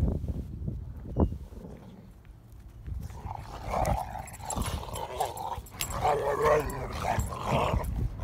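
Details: Playful scuffle among three Rottweiler dogs: snorting grunts give way to louder yapping barks and mid-pitched growly vocalising, with scrabbling movement noise.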